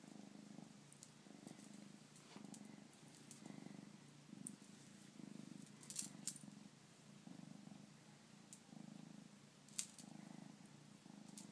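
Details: Bengal kitten purring steadily indoors, a low rumbling pulse in rhythmic bursts roughly every second, with occasional small clicks and rustles close by.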